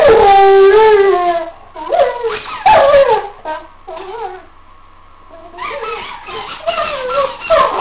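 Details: Pet Weimaraner out-squeaking his toys with long quavering howls that bend down and up, broken by sharp yips and squeaky-toy noise, a quieter lull midway, then more warbling howls.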